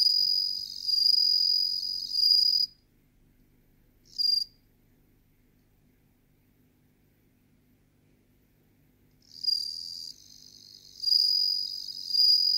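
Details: Bell cricket, Meloimorpha japonica, in song: high ringing trills in bursts, a long phrase, a short blip, a long silence of about five seconds, then renewed ringing phrases with brief breaks.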